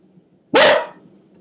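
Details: A single loud, harsh bark from a pet dog reacting to a storm, with a faint low rumble underneath.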